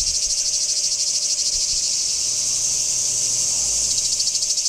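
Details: Cicada chorus recorded in Kardamyli in 2013, a continuous high sizzling drone throbbing in quick regular pulses, about three each second, with a low rumble briefly audible beneath it.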